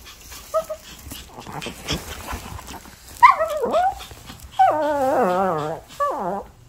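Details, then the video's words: Pet dog left at home reacting to its owner leaving: a few soft whimpers, a rising squeal, then a long wavering howl-like whine lasting over a second, and a final short quavering cry. "강아지(모카) 한마리 집에두고 나갈려고 할때 반응(라떼)//Puppy reaction when you leave your puppy at home and try to leave"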